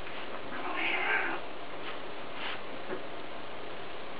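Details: A Scottish Fold kitten play-wrestling with an adult Scottish Fold gives a brief, breathy, hissing burst, followed by a few faint soft sounds.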